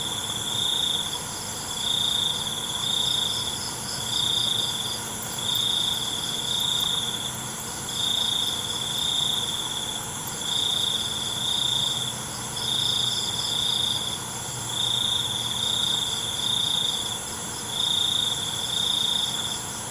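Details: Night cricket song as a high buzzing trill broken into pulses about a second long. The pulses repeat steadily with short gaps for twenty seconds, over a continuous ringing background of other insects.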